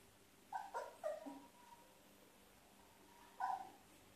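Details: One-month-old Labrador Retriever puppy playing with yellow slippers on his first day with his new family: a quick cluster of high, thin whimpering yelps, a short drawn-out whine, then one more brief squeal after a pause, over quiet background.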